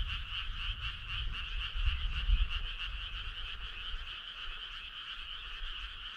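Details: Many frogs croak on a summer night, their fast pulses blending into a continuous two-toned buzzing chorus, with a soft low rumble strongest in the first half.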